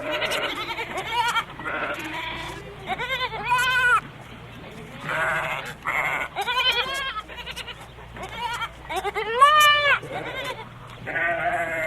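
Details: Several goats bleat over one another in a continuous chorus of wavering, nasal calls, some rising and falling in pitch, with a steady low hum beneath.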